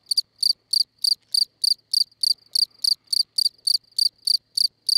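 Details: A field cricket (Gryllus campestris) at La Brenne, France, on 20 May 2011 at about 22:14 at night. It sings loud, shrill chirps repeated steadily about three times a second.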